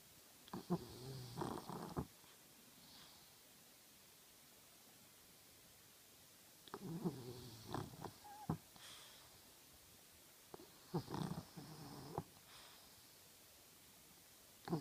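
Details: Sleeping French Bulldog snoring: rasping, gurgling snore bursts of one to two seconds recurring about every four to five seconds, with quiet hissing pauses between them.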